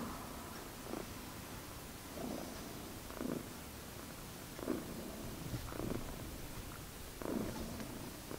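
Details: Magic, a friendly tuxedo pet cat, purring indoors: a soft, steady low rumble pulsing in regular breaths roughly every second, with faint room hiss behind.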